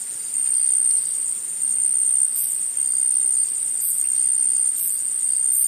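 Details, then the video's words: Woodland insects produce a constant high-pitched ringing trill, broken by brief, sharper, higher chirping bursts roughly every one to one and a half seconds. "Insects In The Forest Sound Effect"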